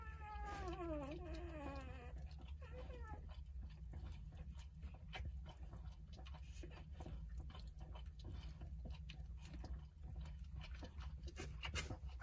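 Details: Jindo puppies, nine in the litter, five days old, nursing beside their mother. A wavering whine with stacked harmonics slides downward over the first two seconds. After that come low hum and soft scattered clicks.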